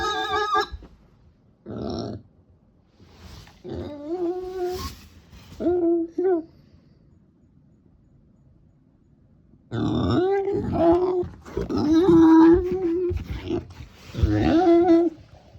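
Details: Pet female micro pig kept in Miyakonojo, Miyazaki, Japan, giving an unusual, never-before-heard call: series of nasal, tonal grunts and moans with bent pitch, in clusters separated by quiet pauses, indoors.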